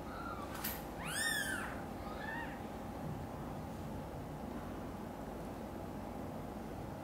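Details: Domestic cat meow as mother cat Xaxa moves another mother cat's two kittens, Miracle and Cream, into her own nest. One loud, arching meow with rich harmonics, a softer follow-up meow, then a steady low background hum.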